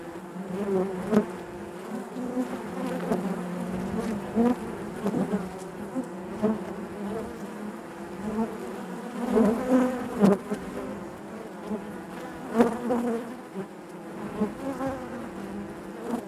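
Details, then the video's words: Honey bees droning inside the hive, a constant layered hum broken by repeated sharp taps and short bursts of louder buzzing from bees moving near the microphone. "bees therapy hive natural buzzing sound"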